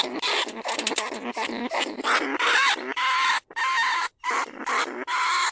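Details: Lesser bandicoot rat from paddy fields at Na Lao, Nong Khu Phai, Thailand, recorded live for luring rats into cage traps. Near-continuous harsh chattering squeals with brief whistled tones, broken by two short pauses.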